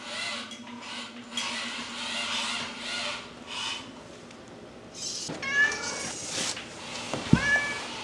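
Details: Pet cat indoors, curious about a new robot, gives a few short harmonic meows in the final seconds, one rising and falling, over a background of soft whirring, rustling and clattering.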